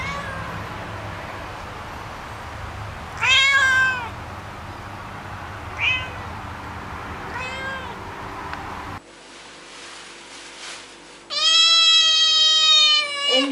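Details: House cat calling with several meows: a loud quavering mew, two fainter ones, then after a cut a long, strong, wavering meow near the end, over low background rumble.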